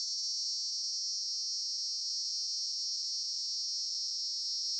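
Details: Cicada singing in Campinas, São Paulo, Brazil, on 18 September 2016 at 08:18, captured with a Panasonic HDC-HS80 camcorder; an unbroken, shrill, high-pitched buzz holding steady at constant loudness throughout, with no other sounds.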